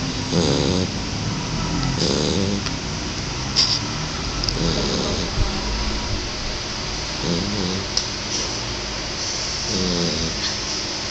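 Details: Sleeping Shar Pei puppy snoring loudly: rough, rasping breaths recurring roughly every two to three seconds, each a short grinding burst, over a constant broad hiss.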